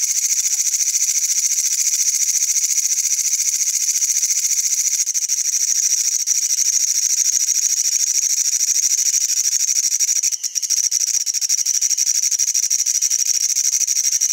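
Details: A katydid in Wynaad gives a continuous, high-pitched buzzing trill that holds steady throughout.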